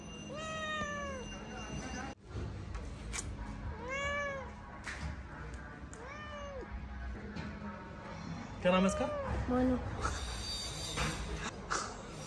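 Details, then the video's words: Indian street cat, a domestic cat known locally as billi, giving a series of drawn-out arching meows, four clear calls spaced about two seconds apart, with a Hindi-speaking voice and some background noise. "Indian Domestic Cat - Indian Street Cat"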